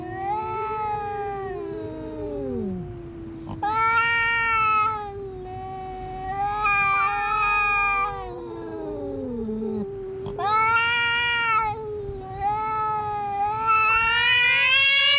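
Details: Two cats in a standoff at a Japanese fishing port trade long wavering yowls in bursts of about two seconds, one voice rising sharply and another sliding down into low groaning moans between them.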